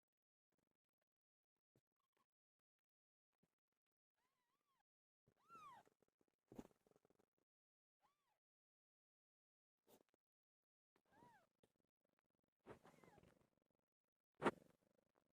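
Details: Domestic cat meowing indoors around the birth of Pilo's litter: about five soft, arched meows spaced a second or more apart, some rising then falling, with sharp knocks and clicks between them in an otherwise quiet room.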